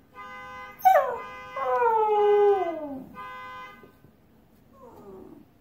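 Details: A husky howling at a car alarm: a rising yelp sweeps into a long descending howl, followed by a shorter fading howl, with the alarm's even, buzzy electronic tone before and between.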